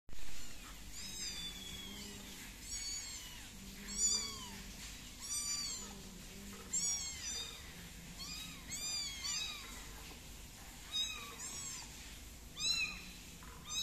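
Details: Kitten named Tiger, a tabby, meowing after being placed on a plate indoors; high, arched mews repeated roughly every one to two seconds, some rising then falling, with a soft low hum underneath.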